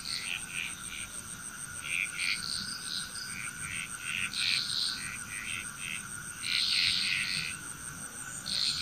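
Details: Dense frog chorus from Bali, Indonesia: many quick, clicking croaks overlap almost without pause, with brighter louder bursts near the middle and end, and a continuous high insect tone running throughout.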